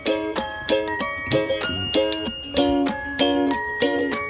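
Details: Bright plucked ukulele music with steady repeated chords fills the room, and no animal voice is present.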